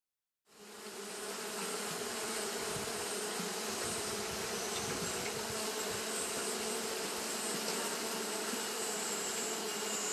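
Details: Japanese honey bees fanning continuously on a hot day. After a short silence a dense, steady buzzing drone sets in, with a low hum and layered humming tones that hold unbroken to the end.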